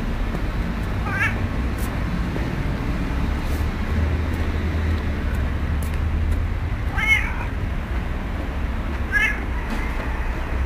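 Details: Community cat, recorded on 12-09-2008, giving three brief, rising, nasal meows spaced several seconds apart over a constant low rumble of traffic.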